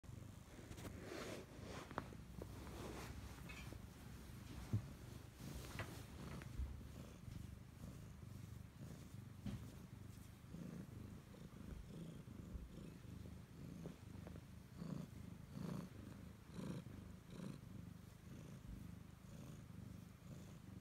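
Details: A Siamese cat (Felis catus) that stays close to its owner purrs steadily, a low continuous rumble that pulses softly with each breath.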